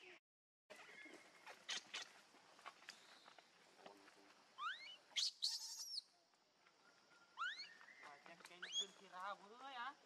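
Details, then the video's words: Baby monkey named Leo crying to its mother, begging for milk; high squealing upsweeps and wavering chirps in bursts, with clicks and rustling between calls. "Cutest Baby Monkey Call Mummy Back"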